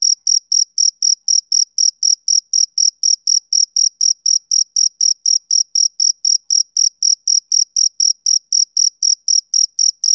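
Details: Male cricket chirping on a summer evening: shrill, high-pitched pulses repeated steadily about four times a second, each chirp clean and evenly spaced, with a fainter higher overtone and no other sounds in the background.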